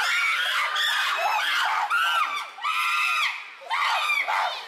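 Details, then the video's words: Chimpanzees raising an uproar at Tama Zoological Park in June 2022: loud, harmonic screams in surging bursts roughly one per second, with brief dips between them and bending shrill tones. "The chimpanzees are in an uproar."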